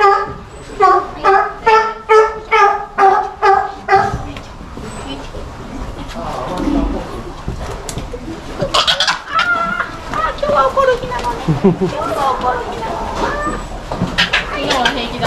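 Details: Captive South American fur seal pup, about one month old, born 16 June 2023 at an aquarium in Japan, lively and biting staff; eight harmonic, bleating calls in quick succession, roughly two per second, then people talking and clapping.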